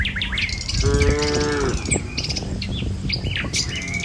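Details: ['One clear, level moo lasting almost a second from tame village cattle walking a rural road in the morning toward their feeding field, surrounded by busy chirping and whistling birds and low rumbling ground noise.']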